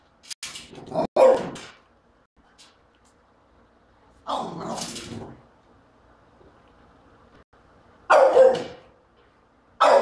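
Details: French Bulldog barking at a trash can it treats as an enemy; harsh, broad barks come in short bursts roughly every four seconds, some doubled, separated by near-silent gaps.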